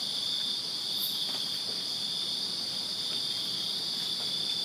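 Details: Backyard crickets on a Virginia summer night keep up a steady, piercing high trill, a constant wall of overlapping chirps with one short brighter squeak near the start.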